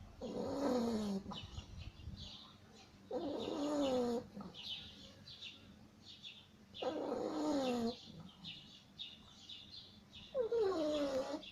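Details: Beagle asleep and snoring, with long drawn breaths every few seconds that carry a whistling, wavering whine, dropping in pitch as each one ends, separated by quieter pauses; faint chirping sounds in the background.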